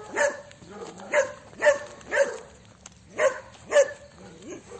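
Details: Dog named Celeste giving a series of sharp barks, roughly two per second with uneven gaps, each bark bright and clipped with a mid-pitched core.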